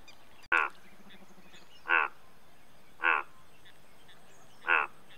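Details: Four rasping, buzzy croaks from an Indian bullfrog, about one every second, opened by a sharp click, with a faint low pulsing trill in the background.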